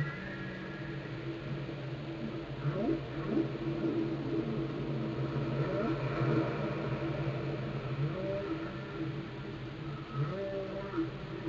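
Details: Underwater whale song from Glacier Bay, Alaska, recorded by the National Park Service and NOAA. Many short low swooping and wavering moans are scattered throughout, partly masked by a constant deep rumbling hum.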